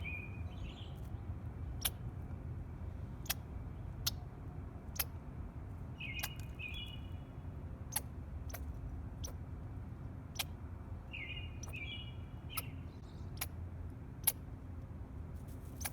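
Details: A squirrel eating food gives short, high, slightly buzzy chirps among sharp ticking clicks over a low background hum.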